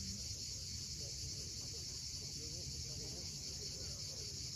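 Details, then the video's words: Cicadas at sunset on the steep coast of Cape Fiolent, Crimea: a steady, hissing high-pitched drone with no breaks, over the low rumble of sea waves and faint scattered bird chirps. "Cicadas at sunset."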